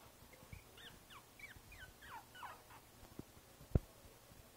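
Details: A basketed Boston Terrier puppy, Princess Izzy at five weeks, 12/4/2011, lets out about eight short, downward-sliding whimpers in quick succession, followed by a couple of sharp clicks.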